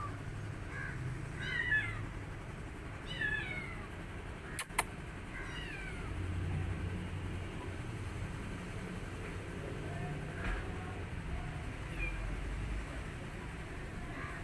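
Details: Male rescue kitten missing his mother while eating, making a few soft, high, falling mews early on, with sharp clicks and a low steady hum behind.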